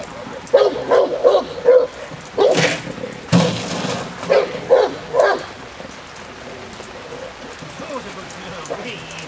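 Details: Female Presa Canario J7's Kelly, Irema Curto line, doing protection work on the De la Arena field in Germany: a burst of hoarse barks in quick succession early on, with thuds and clatter, then quieter background and a human voice.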